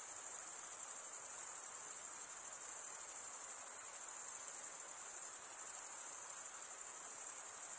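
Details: Chirping crickets, the males stridulating wing against wing, keep up a continuous high, even, pulsing whine with no pauses and no other sounds.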